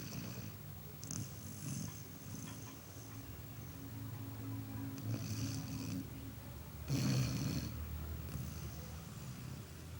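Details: Snoring dog with a deep, throaty rumble under each breath and sharper airy hisses on the exhales, heard clearly near the start, middle and end.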